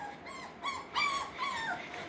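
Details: Soft whimpers from six-week-old Parson Russell Terrier and Russell Terrier puppies at Blossom Valley Kennel: thin, wavering whines that slide up and down, spaced a few tenths of a second apart over a quiet hiss.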